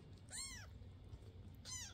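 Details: Indoor foster cat, household with adult Basil and fosters Oodles and Zimothy, filmed May 22, 2024; two clear, bright meows rising then falling, about a second and a half apart, over a low room hum.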